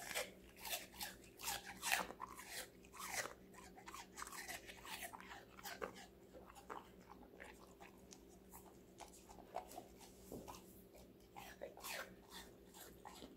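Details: Five-month-old female Golden Retriever puppy eating various vegetables indoors: dense crisp crunching and biting, irregular bursts of chewing through the whole stretch, louder in the first few seconds, with a steady low hum behind.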